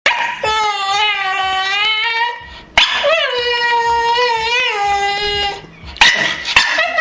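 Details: Barney, a pet Staffordshire Bull Terrier, making strange noises indoors: long, drawn-out, tonal whining howls with wavering pitch, two sustained phrases each over two seconds, followed by shorter broken yelps, in a small room.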